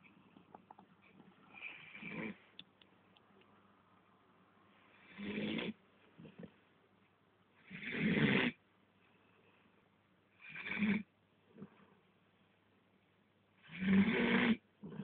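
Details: Domestic dog snoring while asleep: five rough, rasping breaths, each about half a second long, come at uneven gaps of roughly three seconds. A low steady hum sits underneath throughout.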